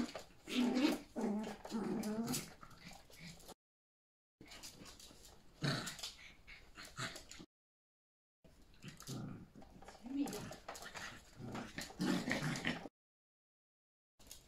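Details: Yorkshire Terrier puppies playing with mom in the house. Short whimpering yips and low growls come in clusters separated by silent breaks, with some scuffling between calls.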